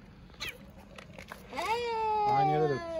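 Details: A gray and white stray street cat in Istanbul, being fed, gives a long, drawn-out meow, rising then holding steady, asking for food and affection.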